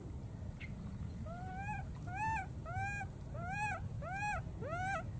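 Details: Wild baby monkey recklessly crossing water, looking for and calling for its friend: a run of six clear, arched, whistled coos that rise then fall, each about half a second apart, over a low rumbling background and a steady high hiss.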